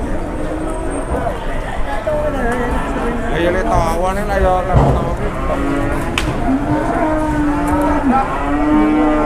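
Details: Large cow calming after a brief rampage at an Indonesian cattle sale; wavering, harmonic lowing midway, then a long, steady droning moo toward the end, over busy market crowd noise and nearby speech.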